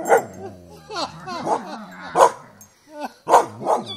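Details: Harsh barks from a dog confronting a buffalo come at an uneven pace, with strained, whining tones between them and a person speaking in the background.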